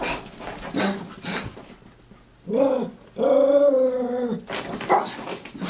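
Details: Taco and Santi, two Chihuahuas chasing and wrestling for fun; noisy scuffles, then a short growl and a longer, strongly harmonic growl lasting about a second, then more scuffling.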